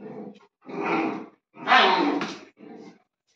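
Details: Maremmano-Abruzzese Sheepdog pups giving four short, rough barking yelps over about three seconds, the third loudest and longest, separated by brief silences.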